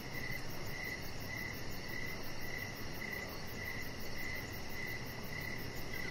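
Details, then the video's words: Evening outdoors by a deck, crickets chirping while a Chihuahua puppy lounges. Bright chirps repeat at a brisk, even pace near twice a second, over a dense low background noise and a faint high pulsing trill. "Cricket Sounds"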